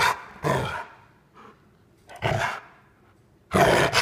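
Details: A female Rottweiler play-acting an attack on her owner produces three loud, harsh growling snarls separated by pauses of about one to two seconds, with faint speech between them.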